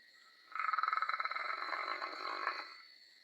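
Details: A sleeping dog lets out a single rattling snore lasting about two seconds, a rapid fluttering pulse with a nasal tone, over a thin, steady high whine.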